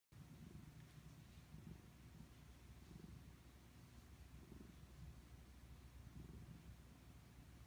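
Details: Domestic cat purring in enjoyment: a soft, steady low rumble that swells and fades roughly every one and a half seconds with each breath, over a faint hiss.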